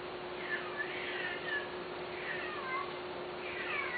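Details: Domestic cat offered for sale, meowing: three drawn-out, wavering meows that rise and fall in pitch, spaced about a second apart, over a steady low hum.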